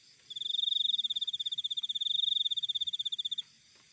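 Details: Wild cricket heard in a single sustained, shrill trill of fast even pulses running about three seconds, starting and stopping abruptly, over a quiet background.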